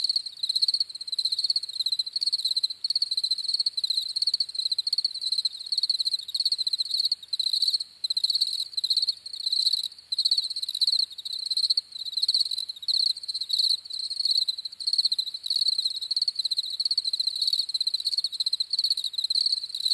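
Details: Crickets chirping steadily in a dense chorus, a bright high-pitched trill pulsing in short bursts several times a second with brief gaps, continuous throughout with no other sounds.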